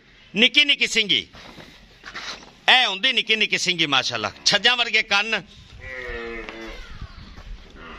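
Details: {'caption': 'Two pure Nili-Ravi buffaloes offered for sale in Pakistan, 03,01,2023: loud, strongly harmonic moos with arching pitch that falls at the end, in bursts near the start and through the middle, alongside people talking.'}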